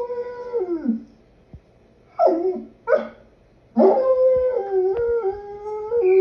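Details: Wolf howling in short phrases: a mid-pitched note slides downward, two brief yelping rises follow after a pause, then a longer, steadier howl wavers and dips near the end.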